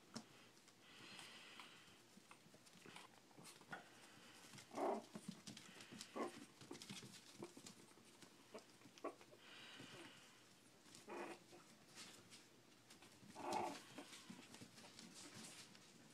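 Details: Four-week-old Shih Tzu puppies eating and playing indoors; two brief high-pitched yips about nine seconds apart among shuffling, clicking and rustling noises.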